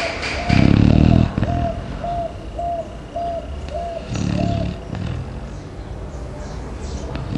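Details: In the morning a deeply sleeping Chow Chow gives two rough, low snorts a few seconds apart, while a dove's steady run of soft repeated coos carries on in the background.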